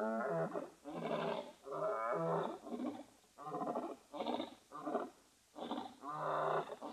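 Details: Loud, full-throated roaring from two male lions scent marking in dry savannah bordering Etosha National Park in northern Namibia, from a live webcam; back-to-back heavy harmonic groans with brief gaps, bursts of roughly half a second to a second.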